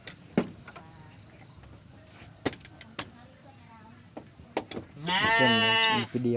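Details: Garut sheep ewe giving birth to triplets on a rainy day, with sharp clicks and taps before a loud, trembling bleat of about one second near the end.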